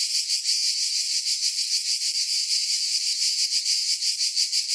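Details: Cicadas give a dense, high-pitched buzzing drone that throbs in steady pulses about three times a second, unbroken throughout, with no other sounds present.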